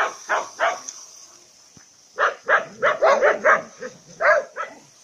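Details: Female Labrador mix, 14 months old, medium-large at 25 kg, a rescue in private boarding in the Province of Turin, Italy, barks in two bursts: a few sharp barks, a pause, then a rapid run of about ten barks.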